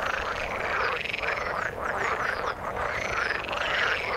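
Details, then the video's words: Dense frog chorus in the water, countless croaking voices blending into a throbbing, pulsing drone, a brief dip in loudness around halfway before it swells again. "Frog sound in the water"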